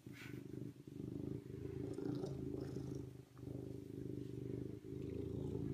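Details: Continuous deep purr from a serval, rhythmic and rumbling with short breathing gaps, plus a few faint clicks in the background.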